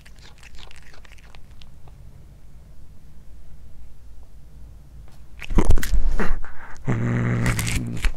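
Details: Anzu, a one-year-old female tortoiseshell Munchkin, gnaws heated corn indoors; crunching and chewing clicks come first, then a low rumbling growl surges in the last second or so, loud and buzzy beneath the bites.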